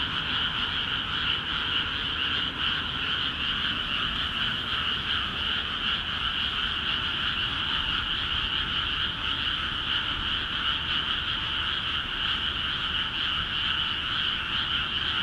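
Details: Many frogs calling vigorously from rice fields in Akiha Ward newly filled with water; a thick, steady drone of fast rattling croaks holds at the same level for the whole stretch, with light background rumble.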